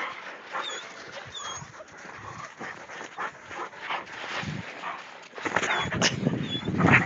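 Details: English mastiffs at play in snow, making brief whines and whimpers among rustling movement, growing louder and busier toward the end, with occasional human voices.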